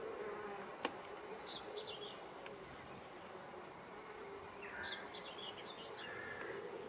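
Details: Pollinating insects working ox-eye daisy flowers, giving a steady low droning buzz that runs through the whole stretch, with a sharp click near the start and brief high chirping birds in the background around the second and fifth seconds.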